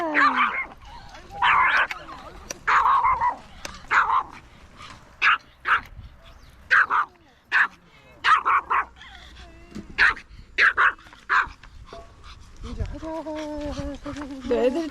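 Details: Kkomi, a three-year-old female mini Maltese at the Yangju Gamaksan dog campsite, in front of a large dog: sharp, high barks in irregular bursts of one to three, roughly every second, with a woman talking and whining at the end.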